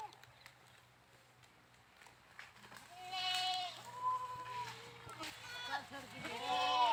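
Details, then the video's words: Several goat bleats, some short and some drawn out, wavering in pitch and overlapping toward the end, over a low steady hum. "funny #goats sounds funny #bakra sounds"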